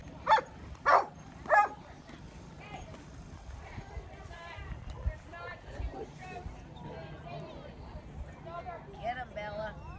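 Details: Dog backstage at a dog show featuring exotic breeds, giving three loud, sharp barks in quick succession at the start, followed by a murmur of voices and indoor crowd noise.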